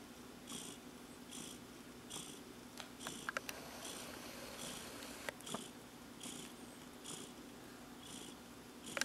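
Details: Relaxed domestic cat, contented and blissful indoors, purring steadily in a continuous low rumble with soft rhythmic breathy pulses about every second.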